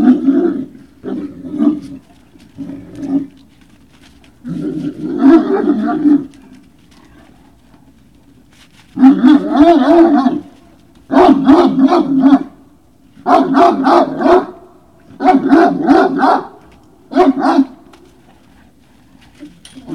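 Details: Great Dane puppies at Puppy Hill in the evening of 19 February 2019 give loud drawn-out yelping howls. Each lasts about a second and they come in steady bursts, shorter cries at first, then a run of six strong ones.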